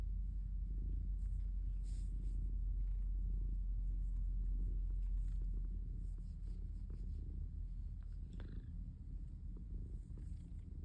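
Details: Calico cat purring while kneading in a basket; a loud, even, deep rumbling purr pulses steadily and softens slightly toward the end, with faint rustling from the basket.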